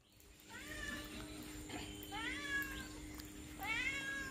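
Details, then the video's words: Domestic cat giving three drawn-out meows, each a bright, slightly arching tone that bends up and falls away, with short pauses between them over a faint steady hum. "Cat Sound||Cat Voice"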